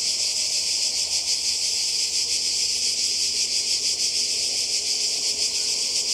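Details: Cicadas singing by the sea in Croatia, summer holiday 2020: a steady, piercing, sizzling chorus with a rapid throbbing rhythm, constant in volume throughout.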